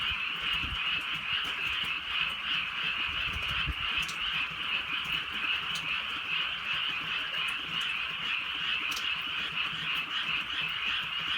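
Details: A chorus of frogs croaking on a rural countryside night as light rain drizzles down. There is a dense, steady wall of rapid overlapping croaks, with scattered raindrop ticks and soft low rumbles underneath.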